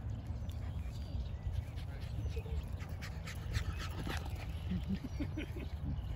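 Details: Brussels Griffon puppy named Lucy playing at Epperson Dog Park, giving short breathy dog sounds with brief bursts of higher noise, over a steady low rumble of wind and outdoor background.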